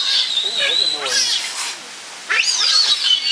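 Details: Captive giant otters at Chestnut Centre, Chapel-en-le-Frith, 25 June 2011, a family of six with two cubs: shrill wavering squeals rising and falling, a brief pause, then renewed high squealing, mixed with close human speech.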